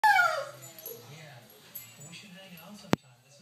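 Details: A one-year-old female Doberman named Maya whines on a porch, eager to get at a lizard she has spotted; a single high, falling whine opens the moment, then quiet with a sharp click near the end.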